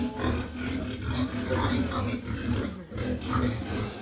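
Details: Pigs in a disinfected farm barn after African swine fever destroyed the herd; low, rapid repeated grunts from several animals, steady and continuous throughout, with rough noisy squealing over them.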